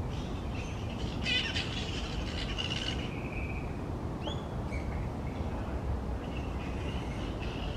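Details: Grey-headed flying foxes in a large noisy tree colony; a burst of strident, rasping screeches, a brief upward squeal, then scattered thin cries, all over a persistent low rumbling noise.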